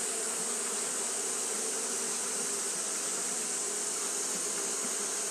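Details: On a hot day Japanese honey bees keep fanning, producing a constant whirring hum with clear low bands and a strong high hiss, steady and unchanging from start to finish.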